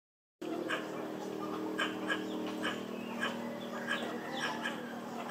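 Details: Squirrel calling for a mate: a string of short, sharp chirps repeated about every half second over a steady low hum.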